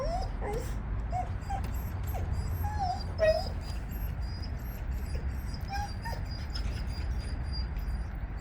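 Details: High, thin whines and whimpers repeat at irregular intervals from Jindo dogs on a walk, with one louder whine midway, against constant low outdoor rumble.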